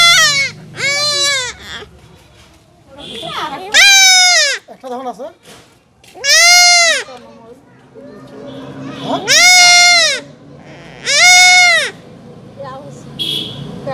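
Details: Goat kid bleating repeatedly while being castrated, with about seven high, quavering cries spaced a second or two apart, brief human voices and a background hum.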